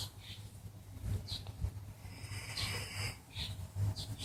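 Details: Elderly male mixed-breed dog deeply asleep and snoring; deep, buzzy, low snores recur with each breath, mixed with airy puffs and a brief louder snort partway through.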